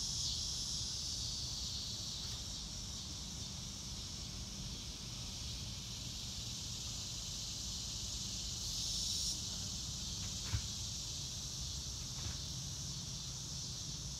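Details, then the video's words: Crickets trilling continuously on a sunny day in the open, a high steady buzz with a few brief clicks and a faint distant bird note, over noticeable low background rumble. "Nature Sounds - Real Time - No Music - Meditation - Crickets"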